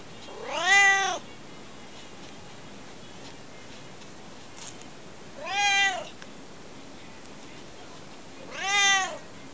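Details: Non-stop talking from Alfie the cat: three loud, clear meows, each arching up then down in pitch, separated by pauses of about four seconds, with a faint click between and quiet background hiss.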